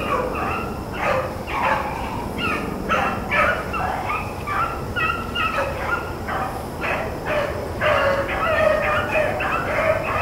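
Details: Blackcreek and bluetick hounds running rabbits in April; a steady stream of ringing, overlapping bays, roughly two per second, over a constant roar of wind or motor noise.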